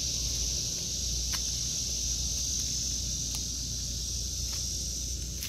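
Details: Cicadas sing in an August 2023 vegetable garden, a constant high buzzing hiss, with light ticks and knocks from walking, and a mild low wind rumble.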